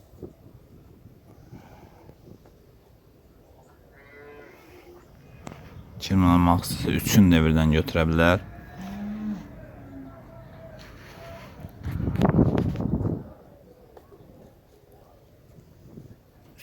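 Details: One of three cows with calves offered for sale, dairy cattle milking about 18–20 litres; a loud, drawn-out moo lasting over two seconds with rich low harmonics, then a shorter, lower bellow later, in quiet surroundings with faint voices.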